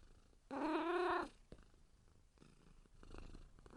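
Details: A kitten gives a single short meow of about three quarters of a second, harmonic and fairly steady in pitch, followed by quiet room noise and soft faint sounds.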